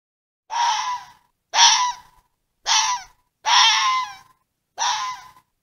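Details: Fox calling: five harsh, raspy, breathy screams, each about half a second long, spaced roughly one second apart against a silent background.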